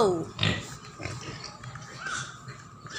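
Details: Native pigs heard in a farmyard, giving short low grunts and snorts scattered through the moment, alongside a higher squeaky sound and bits of human talk in Filipino.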